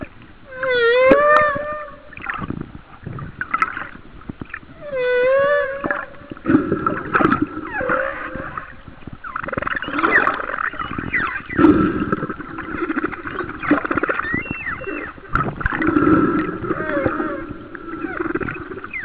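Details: A humpback whale sings rising and falling moans, squeals and groans that overlap in a rich underwater chorus, recorded about 1 mile off the coast of Kauai in 2009.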